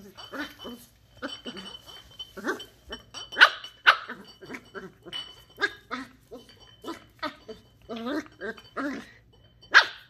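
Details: Indoors, a 10-week-old Shetland Sheepdog puppy named Ollie investigates a plastic Coke bottle. She fires off several abrupt, high barks among busy scraping and crackling, with a thin tonal hum running through.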